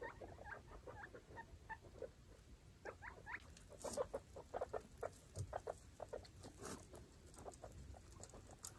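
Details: Baby foster guinea pigs, five young with their mother, explore a clean cage, giving quick runs of short chirps and rising squeaks that grow louder midway, mixed with scratchy bedding rustles.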